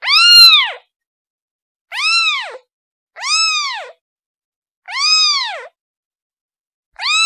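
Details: A kitten calling her mom: five drawn-out, upward-then-downward bending meows at irregular intervals of one to two seconds, loud first note then slightly quieter ones, no other sounds.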